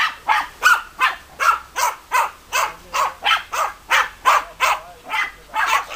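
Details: Evenly repeated, crisp barks from German Hunting Terriers Bagira and Cox von der Fuchskralle, around sixteen in six seconds, keeping a regular, insistent rhythm.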